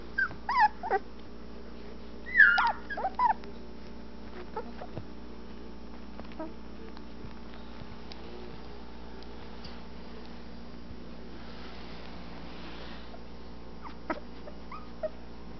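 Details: Twelve-day-old Anatolian Shepherd Dog puppies, eyes just opening, exploring their whelping box. Several high, sliding whimpers and yips come in short bursts in the first three seconds, then mostly quiet room hum with a couple of faint squeaks near the end.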